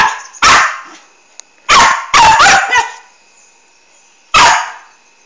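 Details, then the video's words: Noisy Australian Kelpie barking beside a silent cat, giving sharp, loud barks, a single one, then a tight cluster of three, then another single after a pause, over a faint steady hum. "Silent Cat vs Noisy Australian Kelpie"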